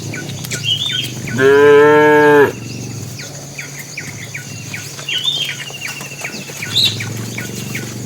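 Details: A tame bull calls the females while the herd walks to the pen. One strong moo of about a second, steady and rich in harmonics, surrounded by repeated high bird chirps and tweets.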